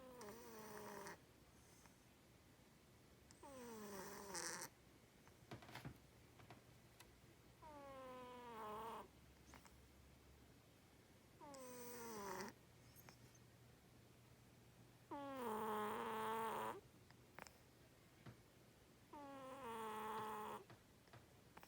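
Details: A sleeping domestic cat snoring loudly indoors, each breath a drawn-out nasal rasp with stacked wavering tones, about fifteen snores a minute separated by quiet pauses.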